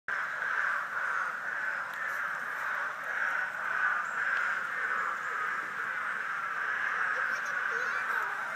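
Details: Frog chorus at a vernal pool in a pasture: a dense, continuous mass of overlapping trilled calls forms a steady mid-pitched wall of sound, softly pulsing throughout with no clear gaps.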